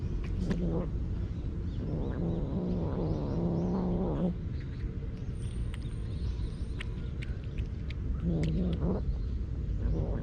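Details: Street cat muttering over its food to keep it from being taken: a brief growl, then a sustained wavering grumble of about two seconds, a quiet gap, and a short final mutter, with low outdoor rumble throughout.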